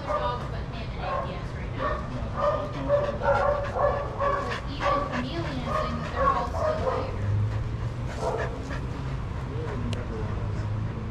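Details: Several adoptable shelter dogs running and playing together at daycare, barking in a dense, uneven volley of sharp repeated barks that thins out toward the end, over a low steady background drone.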